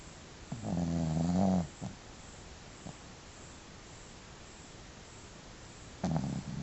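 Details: Marola, a pet dog, snoring: a low droning breath about one second long with a wavering tone, a short snort after it, quiet breathing, then another snore beginning near the end.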